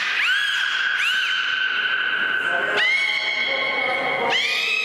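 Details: Male beluga whale Mirai at Port of Nagoya Public Aquarium, during public training, gives long, steady whistled tones swooping upward at each note's start, made through its blowhole; belugas called "canaries of the sea".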